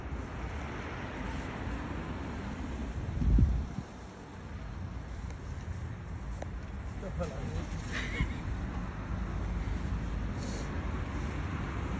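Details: Outdoor wind buffeting the microphone with a single thump and distant rumble, no animal sound.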